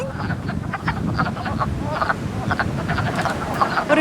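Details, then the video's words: Frogs in a vernal pool giving duck-like quacking calls, heard only in early spring; dense chorus of short harsh clucks overlapping steadily, over a strong low rumble. "crazy sound and it's a sound we only hear in the early springtime"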